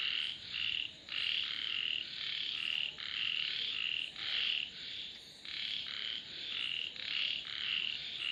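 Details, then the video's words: Frogs chorusing with rapid, buzzy croaks stacked closely together, bursts repeating almost twice a second and blending into a continuous rasping wall of sound. "Sounds of Frogs / தவளைகளின் இசைமழை"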